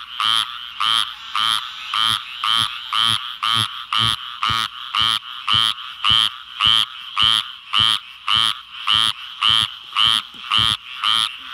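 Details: After a huge rainstorm in South Georgia, frogs come out in the darkness and give loud, nasal, buzzy croaks in a steady rhythm, almost two every second.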